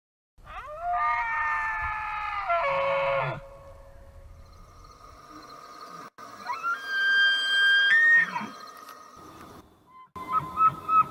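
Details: A bull elk bugles during the rut to attract females and challenge rival males: sustained, reedy whistled tones that climb high, hold, then fall away, followed by a second, higher squealing bugle ending in short yelps.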